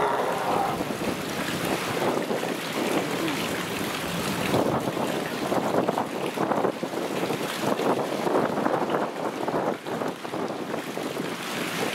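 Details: Steady wind buffeting the microphone over a broad wash of rushing noise, with no animal voice. The roar stays even throughout, with brief gusts and no calls, barks or song standing out.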